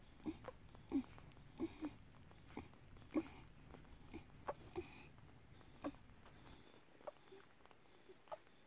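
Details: Tibetan Terrier puppies, five days old, at the Gold and Brill kennel utter brief whimpering squeaks, about one every second or two, some louder and lower, fading toward the end into quieter room noise.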